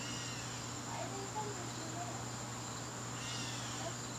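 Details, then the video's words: September evening garden crickets keep up an unbroken high-pitched trill, steady in tone, over a constant low hum, with a few soft faint background sounds drifting in and out. "garden crickets"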